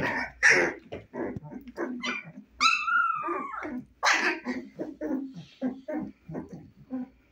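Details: Husky puppies, 25 days old, eyes newly opened, fond of playing: a rapid run of short high yips and small barks, broken by one long sliding whine near the middle.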